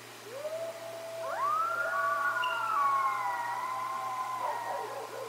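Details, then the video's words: Coyotes howl in overlapping voices near the Decorah bald eagle north nest: long, smooth, siren-like notes slide upward, then hold and waver high before trailing off. "the howls of coyotes"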